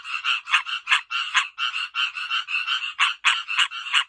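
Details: Several tree frogs call loudly with harsh, nasal notes repeated about three times a second as they get ready to breed.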